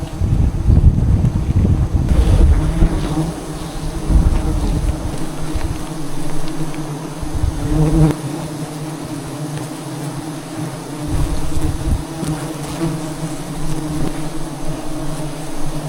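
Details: Wild bees at a giant hive found in trees deep in the jungle during a honey hunt; dense, low, steady buzzing hum fills the clip, with rustling and handling noise.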